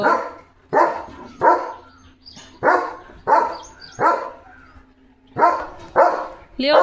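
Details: Household German Shepherd Leo, near a puppy, delivers a regular series of about nine loud barks, spaced roughly every half to three-quarters of a second, over a low steady hum, ending with a brief wavering sound.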